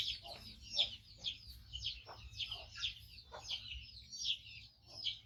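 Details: Loud, shrill squeals from a rescued five-month-old male baby monkey, missing one foot, as it waits for its carer to bring food: piercing high cries repeated roughly every half second, with quiet gaps between.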